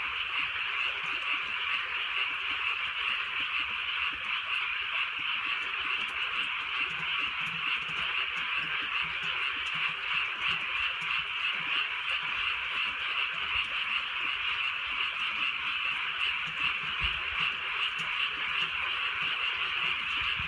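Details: Frogs calling on a drizzly night in the Korean countryside: a dense, steady chorus of overlapping croaks fills the mid range for the whole stretch, with faint brighter pulses repeating a few times a second over soft rain hiss.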